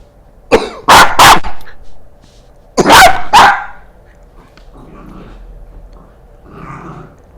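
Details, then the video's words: Milo, a pet Corgi, reacts to people coughing with loud, sharp barks: a quick pair near the start and another pair about two seconds later, followed by quiet room noise. "Milo is not happy when someone coughs"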